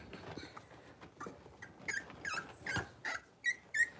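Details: Six-week-old blenheim Cavalier King Charles Spaniel puppies from a litter of five born on New Year's, in an indoor puppy pen; soft early whimpers build into a run of short, high, rising squeaky yips in quick succession.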